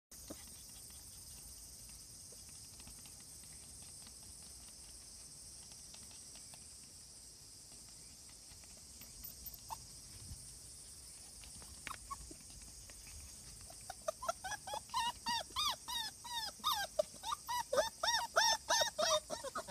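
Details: Cardigan Welsh Corgi puppy at the vet for a health check and vaccination, 16 August 2020. After a long quiet stretch of room noise, a rapid run of high, arched whimpers and squeaky yelps builds over the last six seconds.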